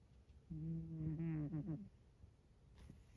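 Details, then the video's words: Scottish Fold cat asleep right in the middle of a bed, giving one drawn-out, low, buzzy snore that lasts just over a second, with a faint rasp at its end, against a quiet room. "猫のいびき！！！ 【スコティッシュフォールド】"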